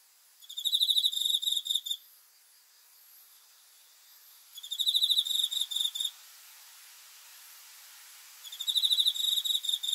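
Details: Nighttime cricket song, high and pulsing, delivered in three trilled bursts roughly four seconds apart, each about one and a half seconds long, over a soft hiss.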